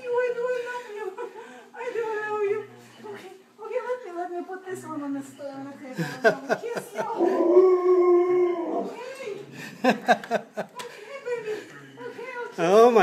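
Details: Alaskan Malamute howling and whining in long wavering tones that slide up and down, then turn into more excited yelping cries, with a person talking over it.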